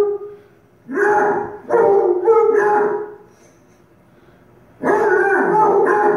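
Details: Pet dog howling along with Basset Hounds on TV: drawn-out, wavering tonal howls that slide upward at their starts, in a long bout of several overlapping howls, a quiet pause, then another loud howl near the end.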